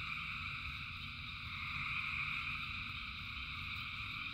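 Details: Rain-soaked frog chorus of countless callers: steady high-pitched trilling in stacked bands without pause, backed by a dull low rumble of falling rain.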